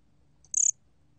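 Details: A single bear cricket chirp: a quick, shrill burst of about five rapid pulses, high-pitched with a fainter lower band, heard over faint low hum.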